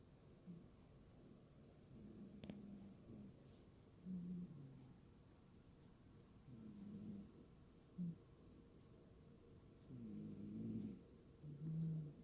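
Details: A sleeping cat snoring: soft, low rasping breaths rise and fall every few seconds, each inhale a brief rumbling snore, with faint high hissing bursts alongside and a quiet room background.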